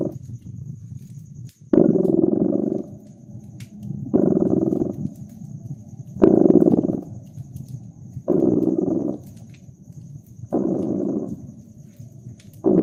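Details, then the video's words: Purring cat by a crackling fireplace on a winter night. A deep, vibrating purr rises in six louder surges, roughly every two seconds, each followed by a quieter rumbling phase. Soft fire crackles and a thin, steady high tone sit in the background. "Relax with Purring Cat"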